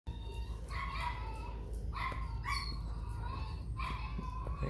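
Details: Phu Quoc Ridgeback, a mother with her pups going off together to sneak bran; short harmonic barks or yelps come in separate bursts, about four in under five seconds, over a steady low hum.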